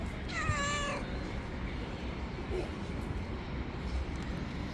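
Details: Hungry stray cat, one of a group living on the street, gives a single drawn-out harmonic meow near the start. It bends slightly downward. Steady low traffic-like rumble fills the background.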